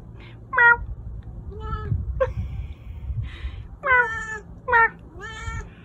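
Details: Chubby pet cat meowing indoors: a series of short, clear harmonic meows, several sharply rising then falling, about six calls spaced unevenly over six seconds, with a person speaking quietly.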